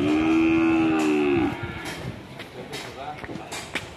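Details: Angry, aggressive cattle: one long loud moo held steady for about one and a half seconds, then slurring downward at its end, followed by background clatter and scattered knocks.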